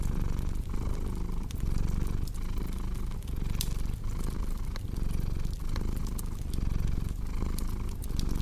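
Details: Deep, steady purring from a cat, a soft vibrating rumble pulsing with each breath, mixed with crisp crackles and occasional louder pops from a fireplace.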